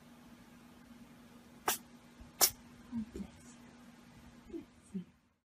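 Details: A pet cat sneezes twice in quick succession, two abrupt, hissing bursts less than a second apart, followed by a few faint, short murmurs over a steady low indoor hum.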